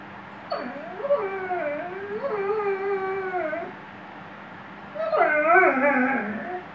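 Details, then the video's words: Singing Weimaraner giving two long wavering howls, each bending up and down in pitch with bright harmonics, separated by a short pause. "Weimaraner singing"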